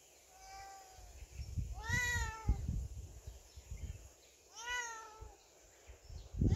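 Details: Cat confined to a storeroom in a cone collar after repeat surgery gives a faint short meow, then two loud, long wavering meows about three seconds apart over low rumbling and knocking noises.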